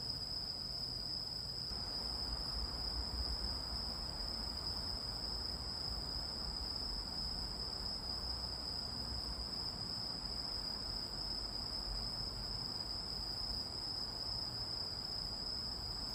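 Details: Cricket-type insect calling as a continuous, steady, very high-pitched ringing tone that does not stop, over a soft low rumbling background.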